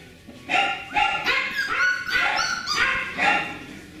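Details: Beagle puppies from the Camo and Buddy litter, filmed 18 April 2020, give rapid, high, squeaky yelps, about six overlapping cries in four seconds, some with a rising whine.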